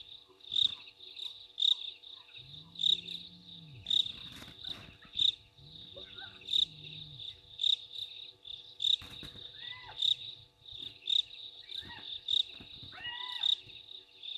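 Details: Hyenas very excited about something at Gowrie dam, Djuma Game Reserve in South Africa's Sabi Sand Wildtuin, 15 November 2023, heard through a live waterhole camera. Two deep arched whoops come first, then short higher rising-falling cries, with crickets pulsing throughout.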